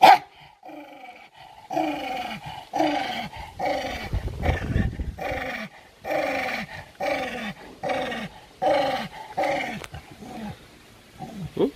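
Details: Domestic dog turned angry and aggressive while fighting over food, snarling in a steady series of about a dozen short harsh growl pulses, roughly one every second, after a quiet start.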